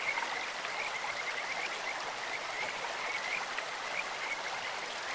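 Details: Kajika frogs in a clear stream give short, high, bird-like chirped notes in quick succession, half buried under the constant hiss of rushing water.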